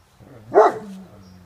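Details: One deep, loud bark from a Great Pyrenees that has spotted a large raccoon on a six-foot wooden fence at early morning, followed by a faint low hum in the background.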